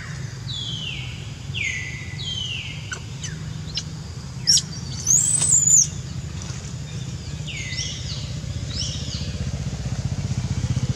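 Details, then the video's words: Crying from Jazzy the monkey, stung by ants all over: quick descending whimpers in a row, then a sharp, very high wavering squeal, followed by more falling cries, with engine-like low hum throughout. "Jazzy Monkey Crying Hur-t Full Body By Ants"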